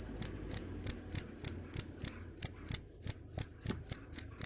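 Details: Steady cricket chirps, high and bell-like, pulsing about three times a second in an even rhythm, offered as a sound to drive away rats, with a quiet low hum beneath.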